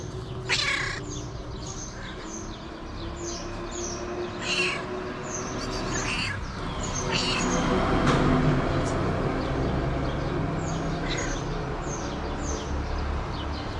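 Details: Hungry feral cat calling with several brief meows spread through the recording, backed by constant high bird chirps, a low rumble and some human voice.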